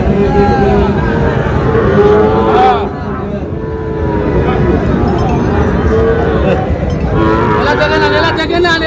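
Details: Lowing from Sahiwal cattle at a Chattogram cattle market in Bangladesh where bull calves change hands; several long, harmonic moos bend up and down under a dense hubbub of bargaining people and passing vehicles.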